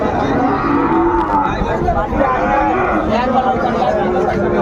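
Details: Sahiwal bull calves at Ambari cattle market in Dinajpur, Bangladesh, 27 May 2024; drawn-out lowing moos rise above a steady din of traders haggling and crowd chatter.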